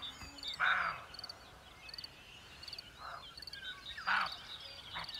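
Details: Frogs croaking at night during a first summer night camping in a field, with the moon almost full. Short, harsh croaks come at about 0.7, 3, 4 and 5 seconds over steady background hiss, with faint high chirping.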